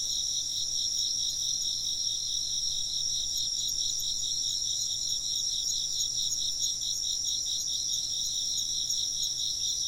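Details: Steady shrill insect chirping, many callers merging into two high pulsing trills that carry on evenly throughout.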